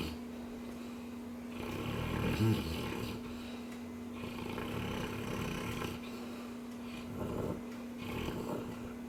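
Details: Dreaming Cane Corso snoring in slow, rasping swells, each drawn-out breath lasting one to two seconds and returning roughly every three seconds, with a constant low hum in the room.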